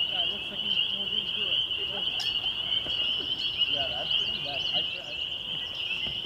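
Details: May evening chorus of spring peepers at a conservation area in Waterloo, Ontario, Canada, 2021: unbroken shrill peeping massed into a steady ringing band, with soft scattered bird chirps underneath.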